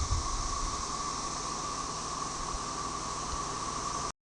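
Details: Brood XIX tredecim periodical cicadas sing an unsynchronized chorus at Tyler Bend Park, Buffalo River, northern Arkansas, on May 30, 2011, with M. tredecula behind them. A constant, even drone and bright hiss continue, then cut off abruptly near the end.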